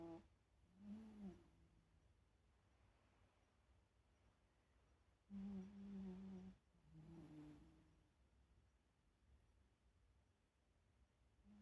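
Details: Shiba Inu asleep and snoring, giving faint low hummed breaths: a short tone, a long pause, then a steadier snore and a wavering shorter one, quiet room between.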